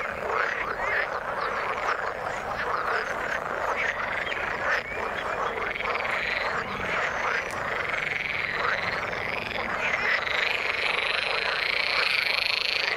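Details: Frogs calling in the water, a dense continuous chorus of overlapping croaks and rapid trills filling the mid range, steady throughout with a few higher whistled notes appearing near the end.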